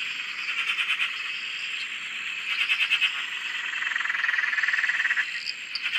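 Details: Dense frog chorus from a dam in Australia, a continuous buzzing wash of many overlapping callers with softer pulsed trills rising out of it now and then.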